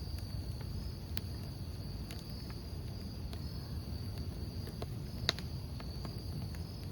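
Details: Steady high cricket trill over a campfire, continuous and faint, with frequent crackles and sharp pops of burning wood and a heavy low rumble throughout.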